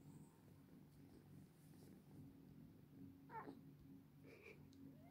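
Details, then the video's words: Domestic cat giving two short, faint meows, the second rising slightly, over a steady low electrical hum indoors. "FUNNY VIDEO WITH CATS ONLY WITH SOUND"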